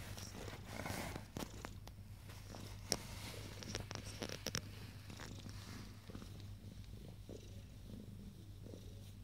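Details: Purring from ten-day-old Abyssinian kittens, a continuous low droning hum, with brief rustling and handling sounds in the first half.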